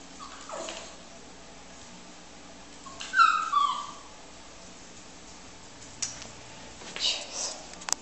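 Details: A female Beagle hesitates at indoor stairs and lets out a short, high descending whimper midway through. Otherwise the room is quiet, with soft handling noises near the end.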